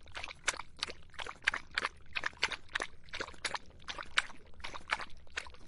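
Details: Dog drinking in the hot summer, recorded as ASMR: a steady run of splashy lapping strokes, roughly three each second, wet and crisp with faint background rumble.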